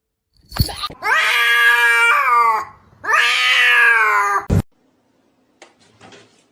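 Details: Pet cat giving weird noises: two long, loud, wavering yowls, each about one and a half seconds, rich in overtones and gently sliding in pitch, separated by a short gap, then a sharp click and faint rustling.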